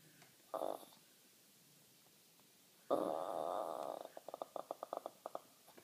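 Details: Small mini Jack Russell terrier, female, not barking, displeased after spotting a neighbour's dog on her lawn: short rough grumbling bursts, one longer throaty rumble, then a quick train of clipped huffs.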